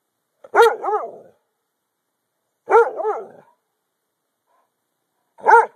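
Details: Dog teased outdoors, barking on hand command: double barks with a quick second note, twice, then one single bark, spaced a couple of seconds apart.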